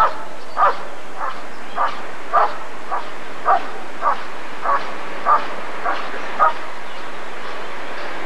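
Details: Rottweiler barking at the 1994 ADRK breed survey (Körung): about eleven short, punchy barks at uneven spacing, somewhat softer against a hissing, noisy crowd-like background.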